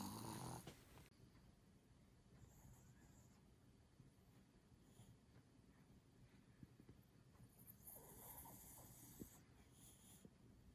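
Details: Chihuahua named Kohaku snoring hard while asleep late at night; soft, rasping snore breaths follow one another quickly and steadily, with a short loud burst at the start and faint higher rustles near the end.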